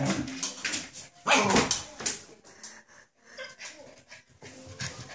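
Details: Samoyed puppy mad at its water bowl, making rough, throaty yaps mixed with whimpering, one loud burst near the middle, then quieter grumbling sounds trailing off.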